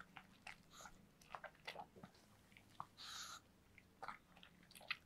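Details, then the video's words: A dog named Yulman munching cake in a small room: repeated soft bites and moist chewing clicks, a brief rustling smear of sound midway, then more scattered smacks against a low background hum. "강아지 케이크 먹방 ASMR(리얼 사운드)"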